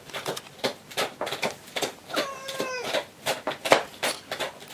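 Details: Gon-chan, an ailing, frail domestic cat in its final stage of illness, who cannot see and receives antibiotic injections, indoors at home: one drawn-out, slightly wavering meow of about half a second, set among rapid soft tapping sounds in a small room.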